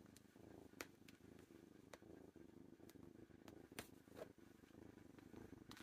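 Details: Young kitten resting in its owner's lap and purring continuously, a low, throbbing drone with a regular rhythm, broken by scattered sharp ticks and small rustles of movement.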